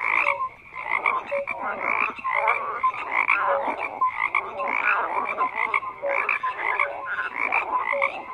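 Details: Many frogs croaking together in a dense chorus, overlapping rasping pulses between low and high bands with short tonal notes mixed in, steady with no pauses and no other sounds.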